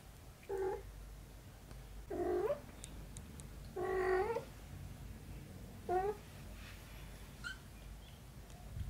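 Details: Mother cat with her kitten daughter: four short meows, each rising into a bent, harmonic-rich wail, spaced irregularly about every one and a half to two seconds in a quiet indoor setting.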